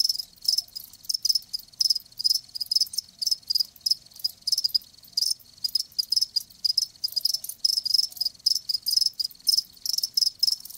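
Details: Live crickets chirping in a steady chorus of high, shrill pulses, bursts following each other rapidly with brief gaps throughout; no other sounds stand out.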